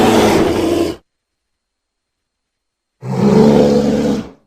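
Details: Bear growling in two harsh, rumbling bursts about a second long each, separated by a two-second silence, with no other sounds.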